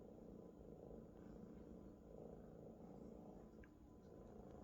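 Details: A Maine Coon kitten, happy and comfortable lying on a big fluffy adult Maine Coon friend, purrs loudly with a steady, low rumble that swells and eases with each breath.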